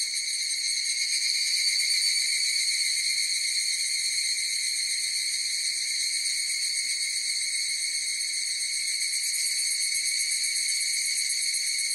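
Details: A massed higurashi cicada chorus produces an unbroken, metallic, tonal whine with stacked overtones and a quick rhythmic flutter near four beats a second, swelling slightly early then staying steady; nothing else audible.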